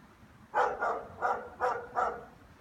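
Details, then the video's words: Five loud, rough barks in quick succession, roughly three per second, from German Shepherds welcoming their owner back from work; little else is audible beyond a low hum. "German shepherds barking"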